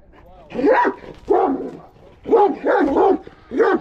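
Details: Aggressive Kangal dog giving drawn-out, harsh barks, about five heavy calls spaced unevenly, each rising then falling.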